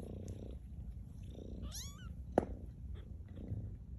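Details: Maude's two-week-old kittens at Baystate Animal Cooperative, learning to walk; one clear rising-then-falling high mew, followed by a loud short click, with soft low rustling and hum throughout.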